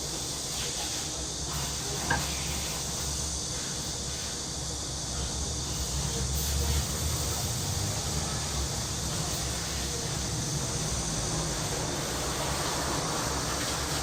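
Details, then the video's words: Cicada chorus in a city back alley in Korea in summer, an unbroken hissing buzz lasting the whole stretch, backed by a heavier low traffic-like rumble and a faint tap early on. "도시 뒷골목 매미 소리"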